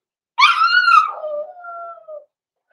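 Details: Six-week-old blenheim Cavalier King Charles Spaniel puppy in a home puppy pen, from a small litter born November 14, 2022: a single drawn-out harmonic howl, starting high and sliding down into a long, steady lower whine lasting nearly two seconds.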